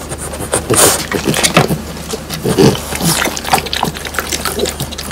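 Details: French Bulldogs Pang, Kun and Ppo bite into crispy dried whole quail with bones. Spaced, loud crunching snaps come roughly every half second, mixed with softer wet chewing and smacking.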